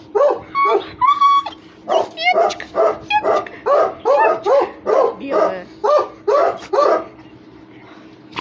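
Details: Russian Hounds playing and fighting, giving a run of about a dozen high, ringing yelps, each roughly half a second apart and rich in overtones, over a steady low hum.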